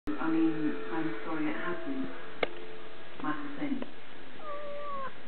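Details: Domestic cat playing with a lizard tail indoors; harmonic mewing calls, then a drawn-out sliding meow near the end, with people talking in the background of a small room.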